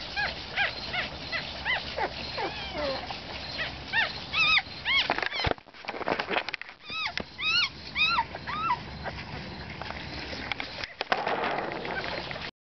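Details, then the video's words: A one-week-old puppy called Harry, who has a cleft palate, whimpers in quick, repeated high squeaks, about two per second, each a sharp upward-then-downward chirp. Brief pauses and handling thumps break up the cries. "Harry the cleft pallet puppy (1 week old)"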